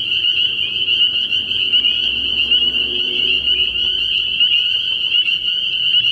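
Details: Spring peepers massed at a frog pond at night in early spring, their piercing repeated peeps forming a dense, steady shrill chorus over a faint low rumble.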